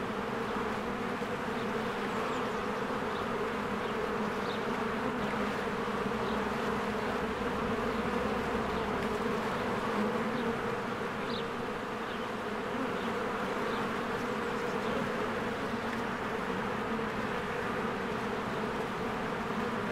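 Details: Swarms of honeybees working at their hive in spring make a continuous layered drone, low and constant for the whole stretch, while faint bird chirps sound now and then overhead.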